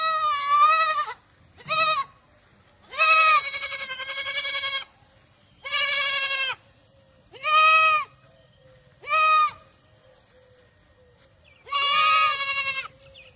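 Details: Barbari goat bleating: seven loud, harmonic, wavering bleats of about half a second to two seconds each, spaced irregularly across the recording, with quiet gaps between them.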